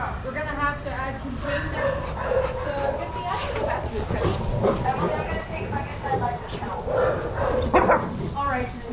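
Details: Shelter dogs at Pima Animal Care Center in Arizona play together in a yard under watching handlers, giving scattered harmonic barks and high yips throughout, mixed with steady human talking and a noisy outdoor background.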